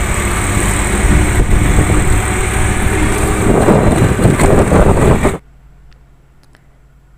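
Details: Low rumbling engine noise from an idling vehicle fills the first five seconds, then cuts off abruptly to near silence with a few faint clicks.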